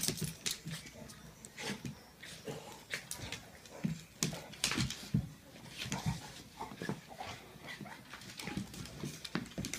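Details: A Pitbull and a Jack Russell Terrier kept as pets, fighting in a small room; irregular harsh growls, snaps and scuffling noises about once a second, with occasional higher yelps.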